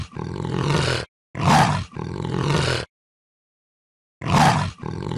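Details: Leopard giving harsh, rasping roars in quick succession, a short sharp burst set between longer gravelly calls, then a pause before another abrupt rasp.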